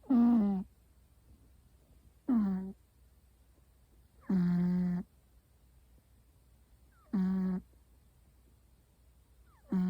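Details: Domestic cat snoring indoors: loud, moaning, voiced breaths with a low buzzy tone and rich overtones, each about half a second long, repeating every two to three seconds, with quiet gaps between.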